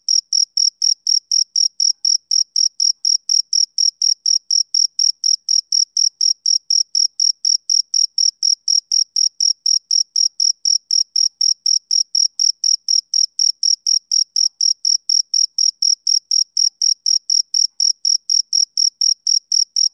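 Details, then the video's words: Continuous chirping by a male cricket on a summer evening. Clean, high, ringing pulses come rapidly and regularly, about four per second, against an otherwise silent background. "Cricket Chirping Sound Effect"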